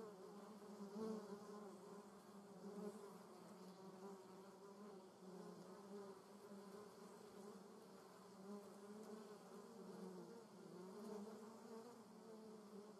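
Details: Continuous humming buzz from German yellowjackets gathered at the nest, a dense low drone of several wasps with slight swells in volume and no other clear sounds.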